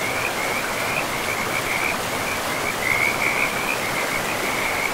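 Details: Frogs calling beside a forest river: a thin, high trill stutters in short runs, briefly fading and then swelling again, against a steady wash of river noise.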